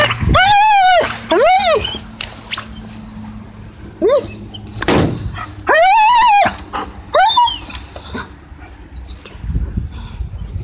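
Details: German Shepherd making loud noises while playing tug: four strong, arching, whine-like yowls that rise and fall, in two pairs separated by quieter rustling and a soft growl.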